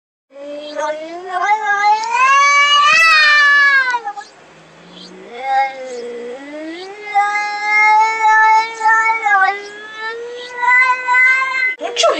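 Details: Domestic cat at a door giving long, loud, wavering yowls that rise and fall in pitch. A strained howl runs for the first four seconds, then drawn-out moaning cries follow one after another.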